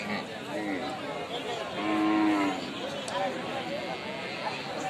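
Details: A baby cow gives a single drawn-out, slightly arching moo lasting about a second, set among quieter lowing and background voices in a compilation of cute calves.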